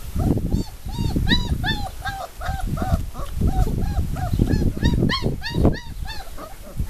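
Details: Puppies aged four weeks from the 'Formule 1' / Callie litter at Le Domaine des Pertins whimper and squeal continuously, with rapid, ringing, arched yelps tumbling over one another alongside low thumping.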